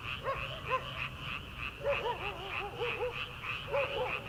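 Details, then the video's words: Early-summer night frogs in a rice paddy before rice planting. Short arched, nasal croaks come in irregular bursts over a continuous higher pulsing chorus. "초 여름 개구리 울음소리/ 논에서 들리는 개구리 소리"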